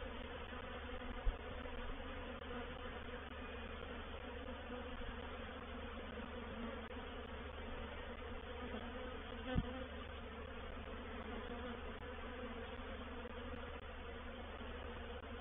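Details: Honey bee reproductive swarm moving into a bait hive, Painted Peacock Manor, 04/07/21; sustained, even droning hum of a mass of wings, steady in pitch, broken only by two faint knocks.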